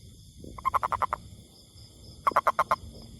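A toad gives two short bursts of rapid, nasal croaking pulses, about seven notes each.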